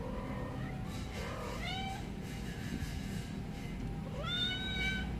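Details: Baby kittens meowing: three separate rising, wavering meows spaced over about five seconds, the last one higher and longer, over a steady low background hum.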